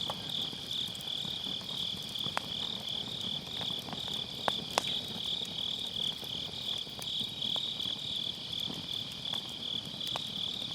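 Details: Autumn night insect chorus from the grass, a shimmering continuous high trill with rapid pulsing, over quiet crackling of a campfire in a round fire pit and occasional sharp wood pops; MKE600 microphone, low cut applied.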